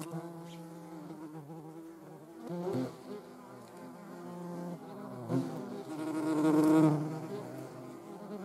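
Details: In the Eifel, a European hornet's low, droning wing buzz swells and fades as it flies close.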